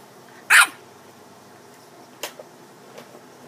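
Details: Dog giving one loud, abrupt bark followed by a couple of much softer, clipped sounds in an otherwise quiet indoor space.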